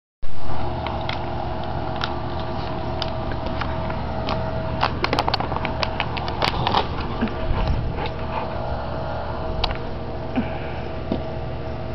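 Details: A constant low rumble dominates, resembling an engine or fan, with sharp clicks and taps scattered through it. No animal calls stand out from the noise.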